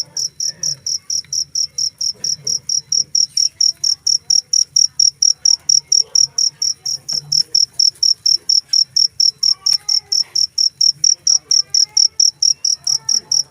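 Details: Cricket giving loud, high, steady chirps repeated about four times per second without pause; faint short whistled notes from another source appear softly in the background toward the end.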